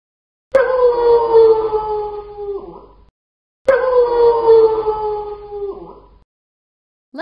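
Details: A wolf gives two long, smooth howls, each lasting about two and a half seconds. Both begin abruptly on a steady tone, slide slowly downward and end with a brief break. A short pause separates them.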